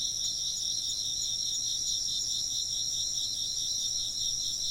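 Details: Shrill insect chirps pulse in a dense, unbroken chorus, high trilling bands with small rhythmic flickers near the top, over a faint, low, constant hum.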